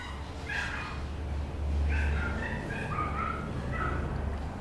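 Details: Papillon puppy whimpering and yipping: a run of short, high, slightly wavering whines and yelps that rise and fall, several in quick succession, over a steady low hum.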